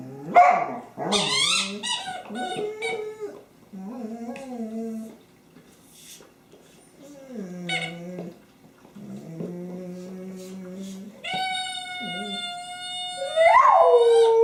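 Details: Honey, a dog with her favorite squeaky toy, 24 January 2012: a series of short whining, moaning vocal bursts with pauses, then a sustained squeaky toy tone and a rising howl at the end.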